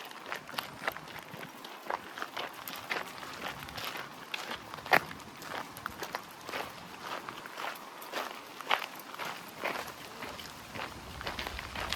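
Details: Footsteps and running on a forest trail in Newlands Forest, Cape Town, with a steady stream of crisp broadband ticks and rustles; no animal calls stand out.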